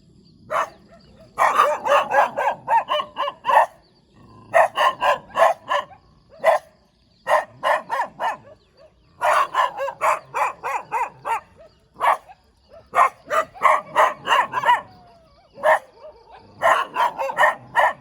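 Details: Wagging-tailed dog giving a long stream of quick, sharp barks in clustered volleys, only short pauses between runs, bright yappy tone throughout.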